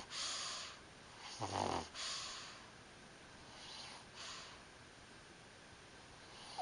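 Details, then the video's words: Pug asleep, snoring: breathy, hissing snores, one louder snorting rasp in the middle, then softer wheezy breaths fading in and out over steady room hiss. "Snoring Pug"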